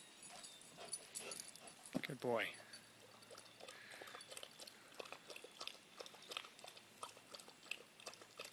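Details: Boots, a pet German Shepherd, gives one short rising whine-like yelp with stacked harmonics about two seconds in, during play while commands are spoken; scattered clicks, rustling and handling noise fill the rest.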